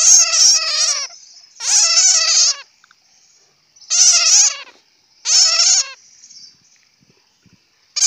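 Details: Bat giving harsh, chattering bursts of rapid buzzy squeaks, each burst lasting about a second, with short silent gaps between them; no other sounds.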